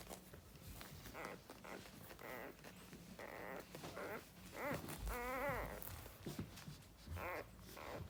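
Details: Newborn Cane Corso puppies on their first day, only just born, crawling about; several high, wavering squeals and whimpers come in short bursts every second or two, the longest near the middle, over soft rustling and handling noise indoors.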